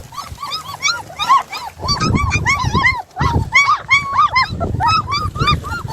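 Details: Puppies from a litter of seven, after two escape from their play area. A dense chorus of shrill, arching yips and squeals overlaps continuously, with low rumbling movement beneath.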